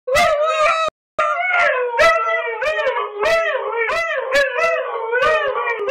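Two Siberian Huskies howl together in wavering, overlapping tones that slide up and down.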